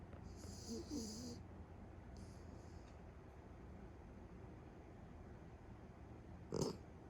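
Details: Beagle snoring while asleep indoors. A hissing, rasping snore starts things off, with a shorter softer one a second later, then quiet low breathing and a brief sharp click near the end.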